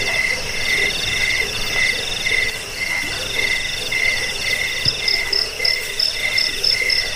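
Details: Cricket (jangkik) chirps, in a recording meant to repel rats, lull sleep and train cage birds. Short buzzy pulse trains repeat about every half second, with a lower and a higher shrill voice overlapping against a faint hiss.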